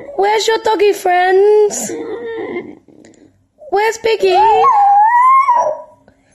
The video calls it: BASENJI Dog 🐕 Funny Barking & Yodel Compilation